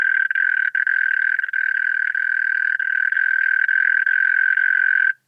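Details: Sustained, even trilling song of European mole cricket at Pabing, Austria, 31 May 2021, recorded through a Pettersson D 100 ultrasound detector with noise removal; one unwavering mid-pitched churr running almost without a break.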